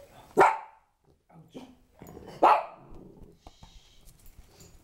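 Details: Five-week-old puppies indoors: two loud sharp barks about two seconds apart, with softer yips between, and a person talking to them.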